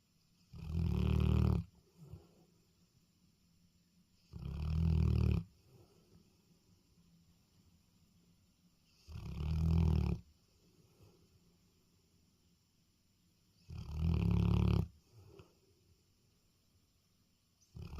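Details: Dog snoring at night: four loud, deep, rumbling snores about a second long, repeating roughly every four to five seconds, each followed by a faint quieter exhale.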